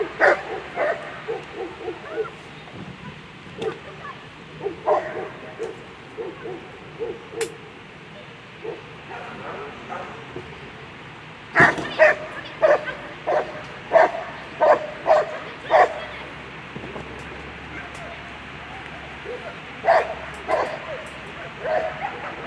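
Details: German Shepherds at a World Championship agility event, dog Cando v Sankt Georg with handler Jenny Stein: sharp, repeated barks in irregular bursts, clustered near the start and in a dense run midway, over murmuring voices and arena noise.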